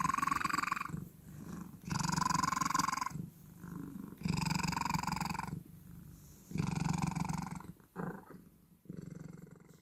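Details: Cat giving strange, loud vibrating sounds: strong rasping bursts about a second long, repeated every two seconds, alternating with quieter murmuring breaths, ending in short irregular grunts.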